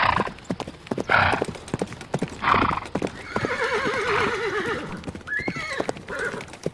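A horse gives a long, quavering whinny between the hollow clip-clop of hooves.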